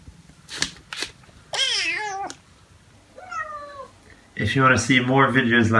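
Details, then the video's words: A domestic cat gives two drawn-out, wavering meows, the first loud and bending downward, the second softer and shorter, followed by a burst of loud, harmonic human voice to close. "Funny Cats and Kittens Meowing Compilation October 2020 😺💗 Noisy Cats and Kittens Meow"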